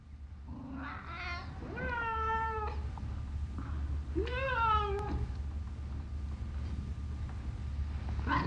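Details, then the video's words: Black and brown domestic cat at play with children, giving two drawn-out meows, each rising then falling, with a harmonic-rich tone about two seconds apart, over a steady low hum in the background. "kids playing with their black and brown cat"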